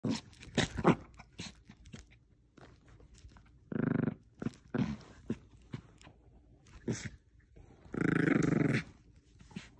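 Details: Bichon Frise dog indoors playing tug of war with a small stuffed toy squirrel; two rough, throaty growl bursts around the middle and end, amid scattered tapping, scuffling and chewing clicks.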